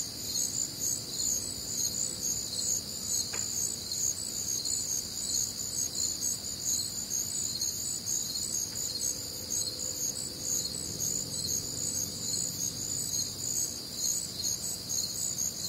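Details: Chorus of crickets calling through a warm, humid summer night in the American Midwest: continuous high-pitched trilled chirps in overlapping layers, one brief click, a soft low rumble underneath.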